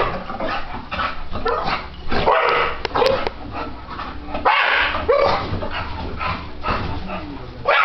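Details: English Bulldog, a four-year-old male, protesting as the ceiling fan runs. He makes a near-continuous stream of harsh barks, whines and grumbling howls. Brief gaps and a faint human voice can be heard between the outbursts.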